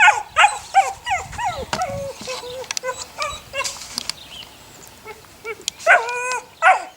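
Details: A litter of six puppies, eight weeks old, offspring of the neighbour's dog Sunny, whimper and yip in overlapping high whining notes, several voices calling together, with short squeals rising and falling and a brief pause before more yelps.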